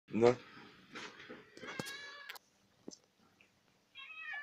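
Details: Domestic cat eating sour cream and making weird sounds indoors: a short, loud, wavering cry at the start, then brief murmured harmonic calls and faint chewing, ending with a thin high tonal sound after a quiet pause.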